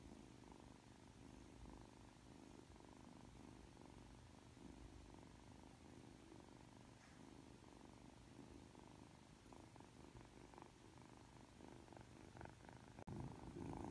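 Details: Freshly awake and affectionate, Aki the three-month-old Ragdoll kitten purrs in a steady low drone with regular breath-paced pulses for almost fourteen seconds, ending with a faint click and slightly louder rustle.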